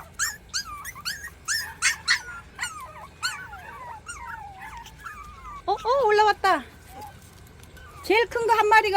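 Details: Rural 40-day-old puppies trying to climb a staircase let out short, bent whines in brief bursts while a person talks and encourages them with food.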